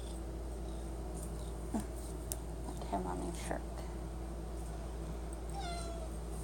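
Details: Domestic cat meowing at a pantry, begging for Friskies treats; one or two short harmonic meows near the end, with a woman's voice and a steady low electrical hum throughout.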